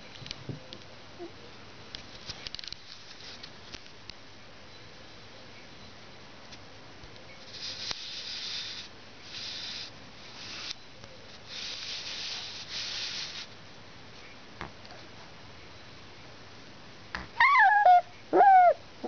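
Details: Two-week-old Alaskan Malamute puppies, a litter of one female and three males born November 17th in Finland, filmed indoors; after quiet shuffling and hissy rustling bursts, two short, high, bending whines close the recording.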